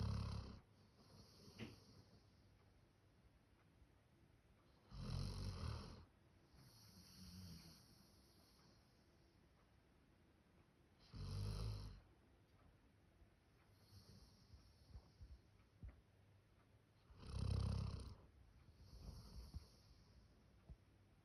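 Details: Max, a male Labrador Retriever born 1 October 2019, snores in a human-like way: loud, gravelly snores recur roughly every six seconds, separated by faint low breaths and small snuffles.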